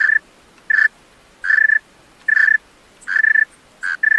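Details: Male tree cricket singing at night: about seven short, pure, shrill chirps at one steady pitch, some doubled into brief trills, spaced unevenly over four seconds against a quiet background.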